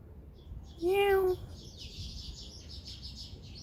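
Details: Feral neighbourhood cat in South Korea, recorded in 2019 with a Samsung Galaxy S9+: one short, level meow near the start, followed by soft high chirping and low outdoor background noise.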